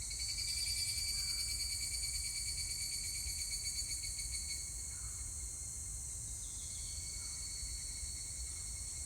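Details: On 25 July 2019 a higurashi cicada gives a quick rattling, ringing pulse train that tapers off mid-clip, set against a persistent high insect drone.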